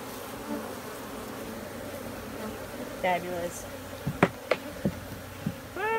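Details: Honey bees buzzing in a steady, low droning hum throughout, with brief Spanish speech and a few sharp clicks and knocks in the second half.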